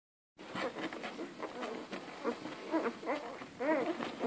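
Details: Hungry Komondor puppies from the V litter of Somogyi Betyár Jázmin whimpering together: many short, high, arched whines overlapping in quick succession, growing denser and louder toward the end.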